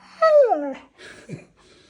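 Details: Siberian Husky indoors, said to repeat its owner's words; one loud whining, yodel-like vocalization sliding downward for about half a second, followed by soft breathy sounds and a short low grunt.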